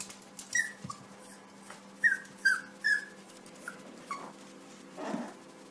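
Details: A Yorkshire Terrier puppy barking at its own reflection in a mirror, thinking it is another puppy, gives short, high, squeaky yaps in an uneven burst.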